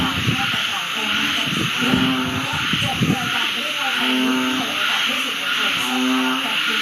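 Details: At the start of the rains, frogs around a home call in chorus, returning after six months: low droning notes sound in spaced bursts, some held longer, under continuous high hiss and a few rustling knocks early on.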